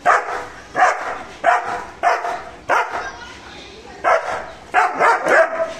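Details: Aggressive guarding barks from Mr. Bro the German Shepherd: around eight deep, rough barks spaced under a second apart, each with a short trailing tail, one longer pause midway.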